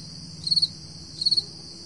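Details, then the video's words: Two high pulsed chirps, each of about four rapid beats, from crickets at 4 AM on a July 2012 summer morning, over a steady shrill background trill. "Early Morning Summer Crickets 4AM July 2012"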